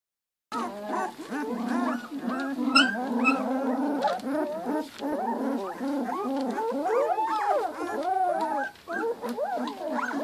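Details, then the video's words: Two-week-old Giant Schnauzer puppies in a litter, a chorus of overlapping high squeaky whines and yelps, many rising and falling in short arcs, continuous for ten seconds with no pauses. "Giant Schnauzer puppies two weeks"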